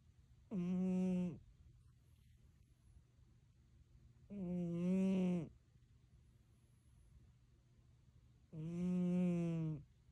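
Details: Loud snoring from a sleeping Siamese cat: three drawn-out, buzzy, tonal snores, each under a second long, arriving roughly every four seconds with near-silent breathing gaps between.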